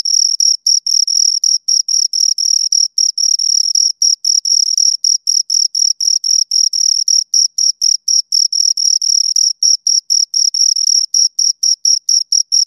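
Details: Two crickets stridulating in quick succession, their high, ringing chirps running faster here, about four per second, with occasional short gaps in the otherwise continuous pulse train.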